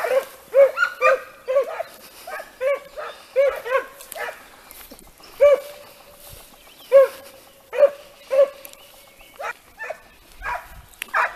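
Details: Italian Segugio hounds being trained on hare bay repeatedly outdoors: clear, ringing bays with short drawn-out tails, given about once a second and then more scattered, with fainter overlapping voices from other dogs.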